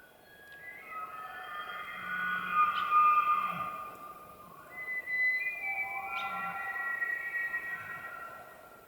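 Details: Elk bugling in the rut in Arizona's White Mountains, long eerie whistles that rise, hold high, then fall away.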